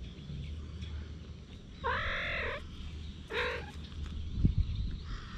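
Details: Stray cats during mating on a Japanese cat island, filmed with a GoPro HERO8: two drawn-out, steady, harmonic yowls, the first about half a second long, the second shorter a second later, over low rumbling outdoor background noise.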